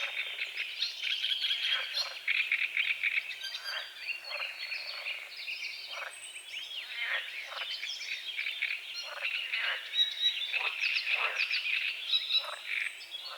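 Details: Frogs croaking at dawn over a small lake on the edge of a forest, a dense chorus of short, rough croaks repeated several times a second, with birdsong whistles and chirps woven over them throughout.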